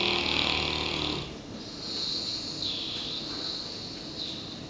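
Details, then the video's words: Klein Sandfontein Daniel, a one-year-old South African Boerboel, naps after a busy working day, giving a loud, raspy, hoarse snore that drops away, then returns as softer rattling breaths. "Бурбуль храпит"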